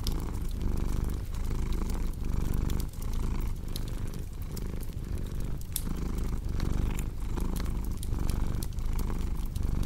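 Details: Purring house cat mixed with fireplace crackle, meant for calming and sleep; deep, even rumble rising and falling with each inhale and exhale, punctuated by bright pops and crackling wood.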